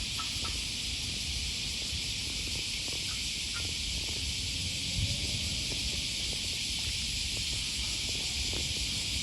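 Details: Cicada voices along the riverside in Osaka, Japan, on an August 2020 morning walk near Sakuranomiya Park. A loud, unwavering high buzz dominates, with faint scattered clicks and low rumble beneath.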